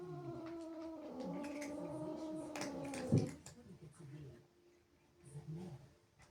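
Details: Angry house cat, jealous of playful kittens that sneaked into her home, gives a drawn-out, wavering low yowl with a steady harmonic drone, rising and falling, then a sharp thump midway and quieter grumbling indoors.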